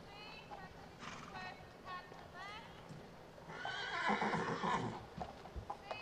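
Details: Friesian horse recorded in December 2017: after short voice-like harmonic sounds, a loud, broad, harsh whinny swells near the middle and fades, followed by scattered low thumps and background noise.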